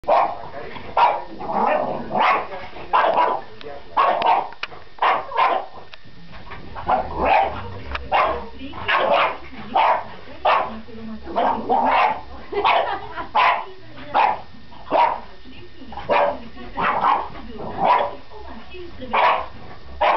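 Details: French Bulldog barking in a steady run of short, sharp barks, roughly one to two per second with a few brief pauses, each bark a punchy burst; no other sounds stand out.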